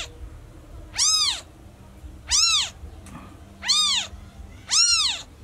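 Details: Newborn kitten calling loudly for its lost mother: four loud, arched, harmonic-rich meows, each rising then falling, spaced about 1.3 seconds apart over a faint low background hum.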